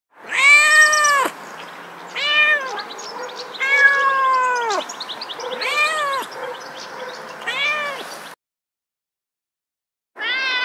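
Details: Domestic cat meowing repeatedly: about six drawn-out, arched, nasal meows, some rising then falling, roughly one every one to two seconds, with a short silent break before a final meow begins.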